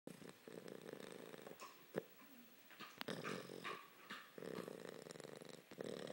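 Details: Puppy named Harper sleeping and snoring loudly; broad raspy breaths in bursts of about a second, separated by short quieter gaps and a few sharp clicks.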